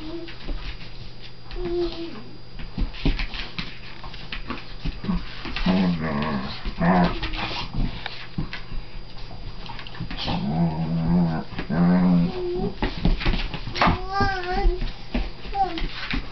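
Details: Siberian Husky and Collie at play together; a long run of wavering whines, moans and yips, some rising and falling in pitch, over continual scuffling, paw thumps and panting.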